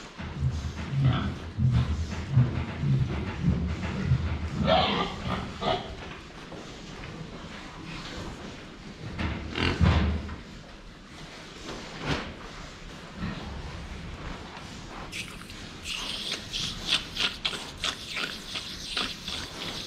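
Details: Pigs filmed head-on while drinking water give low, deep grunts in a loose series over the first five seconds, with another grunt near ten seconds, then fainter sloshing and higher scraping noises toward the end.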